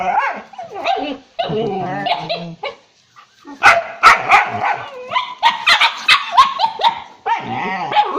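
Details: Drooling dog giving whiny, wavering yelps over the first seconds, then a burst of sharp, irregular barks and yips, ending in a drawn-out harmonic whine.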